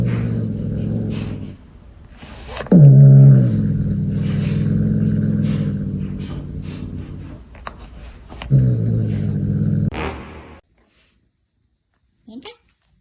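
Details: A domestic cat gives low, drawn-out, rumbling moans with a few sharp knocks between them.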